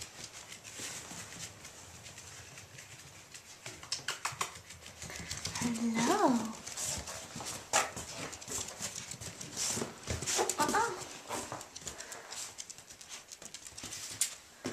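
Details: Portobello, an Irish Jack Russell Terrier puppy, playing indoors: a brief whining yelp that rises and falls midway, a shorter whine later, over steady scratching, tapping and clicking.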